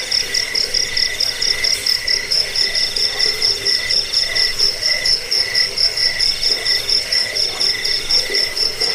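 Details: Cricket (jangkik) sound for chasing off rats, aiding sleep and training birds; a continuous high-pitched, rapidly pulsing chirr with a faint lower ringing tone beneath, pulses coming about twice a second in loose rhythm.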